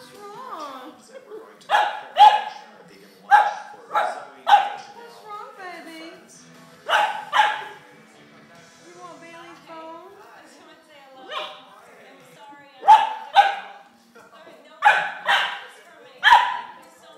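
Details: A pet dog barks while acting crazy and wanting another dog's bone: loud, sharp barks in pairs and short bursts every second or two, with quieter whines and a person's voice between them.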